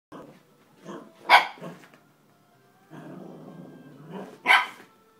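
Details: Cavalier King Charles Spaniel puppy barking at its own reflection in a mirror indoors: two sharp, loud yaps about three seconds apart, with softer grumbling and whining sounds between them.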